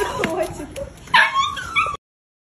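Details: Adopted American Bully puppy letting out a sharp yelp followed by a rising, wavering whine and a last short squeak, all within two seconds, then silence; faint background voices.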